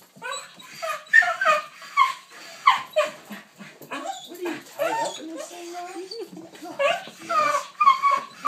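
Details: A ten-year-old dog screams in excitement upon seeing the walking leash: shrill wavering squeals and yips in rapid volleys, rising and falling, while a person talks among the cries indoors.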